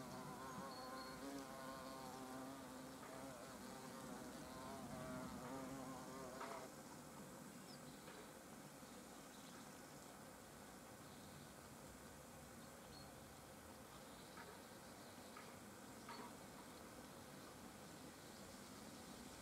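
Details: European hornets at their nest entrance: overlapping droning wing buzzes with stacked harmonics, strongest over the first six seconds, then fading to a softer, steady background hum with scattered faint clicks.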